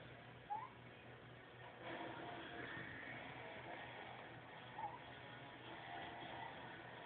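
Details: Seymour, a pet ferret, snoring in his sleep, recorded on an Android phone: two short, thin, slightly rising whistles about four seconds apart over a steady low indoor hum, with faint background noise between them.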